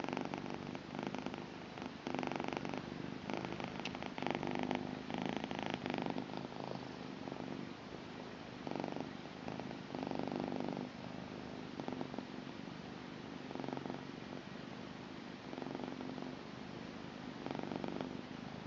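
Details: Blue British Shorthair female cat purring steadily, a continuous rumbling drone with rhythmic pulses as she breathes in and out, swelling in bursts roughly every couple of seconds, close and quiet indoors with no other sounds.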